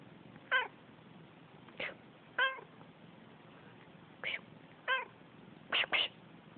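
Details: Male domestic cat talking back each time its owner sneezes: a run of seven short, bright meows, each with a falling tail, spaced irregularly with pauses of up to two seconds, the last two close together, over a quiet room hiss.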